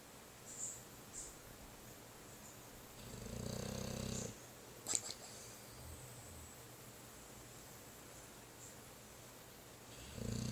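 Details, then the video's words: Pet dog Mugsy snoring: one clear, low, droning snore lasting just over a second mid-recording, then a quieter stretch of light breathing, and another snore beginning at the very end. "Dog Snoring"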